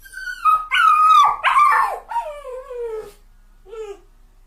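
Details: Sad crying from a dog: strained, wavering whines that rise and break into louder yelping cries, then a long falling wail and a short soft whimper after a pause.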